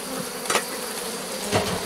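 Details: Honey bees of a drone-laying hive during a rescue attempt after the introduced queen cells were torn open, 3 May 2021: a steady low hum with a clear harmonic band, broken twice by sharp clicks of frames being handled.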